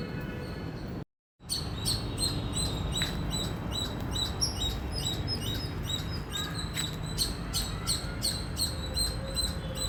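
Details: Indian squirrel giving loud, high-pitched chirps in quick, uneven series, sharp repeated notes over a steady rumble of background noise, with a brief drop to silence near the start.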